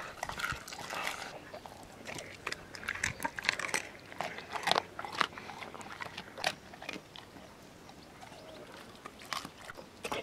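A Weimaraner eats raw food, giving sharp crunches, wet smacking and bursts of chewing at an uneven pace. Small-room echo surrounds the bites.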